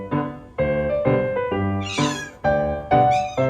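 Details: Male Ragdoll kitten, born May 2021, meowing while left home alone: a run of about seven drawn-out, tonal meows, some rising into strained higher cries, roughly two per second, with background music.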